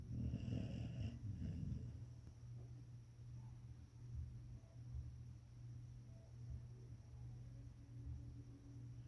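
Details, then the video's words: An English springer spaniel snoring while asleep: a low, steady rumbling drone with soft, irregular breathy pulses, a brief louder snuffle near the start, otherwise quiet and continuous. "Snoring English Springer Spaniel!"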